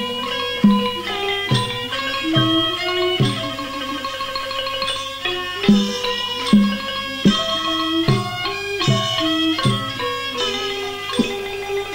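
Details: Plucked string music in a traditional style, with rhythmic notes and drum accents throughout and no animal sound.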